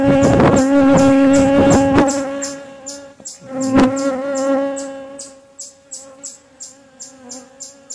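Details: A loud, steady hum from honey bees in a relocated hive being inspected on a cooler morning with the bees clustering thick. The drone holds for about five seconds, then fades under regular high-pitched ticking chirps.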